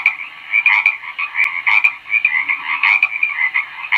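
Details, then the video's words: Frog croaking: a rapid, nearly unbroken run of raspy, mid-pitched rattling notes that pulse up and down in loudness, with no other sounds. "SOM DE RÃ"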